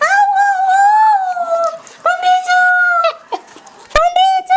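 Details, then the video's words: A pet dog singing in drawn-out, even-pitched howls, each held about a second or more and then dropping slightly at the end, with a brief sharp click near the close. "Cute Dog Singing!"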